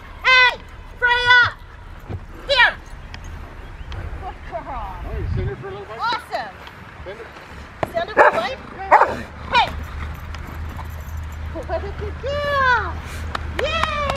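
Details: Female Rottweiler in protection training play, March 18, 2021. Sharp barks come in bursts near the start, then scattered yips and rising-falling whines, mixed with a person talking and handling noise.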